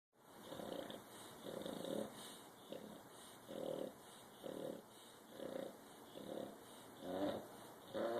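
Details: Bulldog snoring: rough, rasping snores in short bursts roughly every second, steady breathing rhythm, eight snores with quiet gaps between them.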